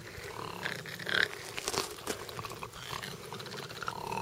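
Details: Rescued bat-eared foxes, seven of them in a 25-acre rehabilitation camp in South Africa, confront a dog at the gate at evening feeding. Rough grunting growls swell around the middle, with scattered crackly rasps and quieter murmurs after.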